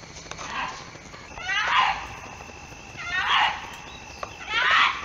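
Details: Mating-season fox calls, foxes calling out to one another: a series of harsh, hoarse cries with falling tones, repeated roughly every one and a half seconds, over a constant hissing background.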